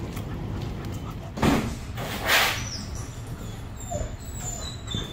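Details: Aggressive German Shepherd during dog training gives two loud, harsh barks about a second apart, with traffic-like background noise and a faint whine afterwards.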